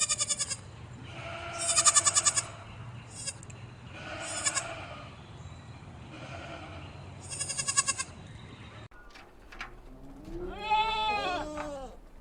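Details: Goat kids on a mountain farm bleating in several repeated wavering, harmonic-rich calls, some shrill and buzzy, bursts every couple of seconds, then a louder rising-and-falling bleat near the end over steady background hum.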